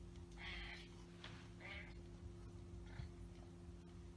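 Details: Turkish Angora cat giving three or four short, mid-pitched mews with rich harmonics, spaced about a second apart, over a constant low electrical hum.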